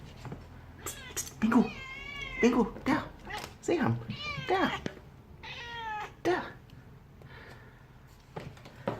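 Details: Young Burmilla kitten at home making hungry sounds over a fly it has caught and is eating: a run of short chirpy meows and bent, wavering cries in uneven bursts, some rising then dropping, with faint room noise.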